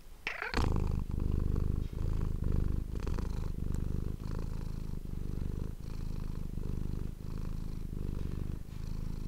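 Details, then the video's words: Close-miked domestic cat purring for ASMR; a short scratchy noise opens, then a low vibrating purr swells with each inhale and exhale, roughly once a second. "ASMR cat purring ❤ Manis die aan het spinnen is"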